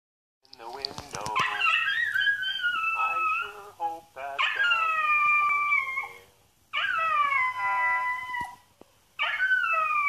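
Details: A Xoloitzcuintli howls at a video of another hairless dog, in long, wavering, high-pitched notes that slide downward and break off between bouts.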